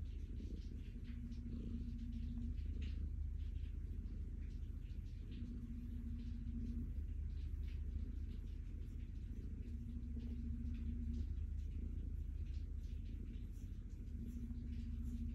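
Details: Stella, a calico cat, purring while being petted and looking happy: a deep continuous low rumble swelling with each breath every couple of seconds, with a faint steady hum coming and going in the background.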